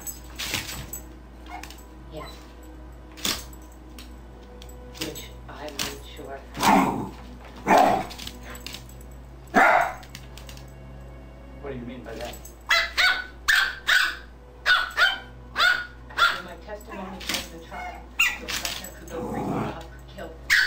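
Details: Pet dogs JubJub and Daisy, the black-and-white one, at play, giving irregular barks and yips early on, then a dense series of short, punchy barks in the second half over a low background hum.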